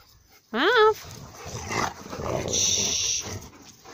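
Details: Bernese Mountain Dogs from StormGuard kennel, Ukraine, playing outside: one short, loud yelp that rises sharply and then levels off, followed by a person speaking and faint outdoor noise.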